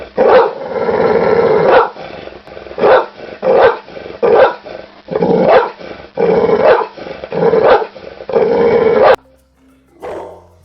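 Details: Dog growling as a warning, meaning stay back or stop touching me. Loud, rough, noisy growls come in bursts of under a second, repeated roughly a dozen times before stopping, with faint music behind.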